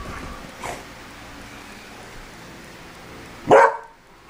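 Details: A Beagle objecting to the smell of cologne gives one short, loud bark near the end after a faint earlier sound and quiet room noise.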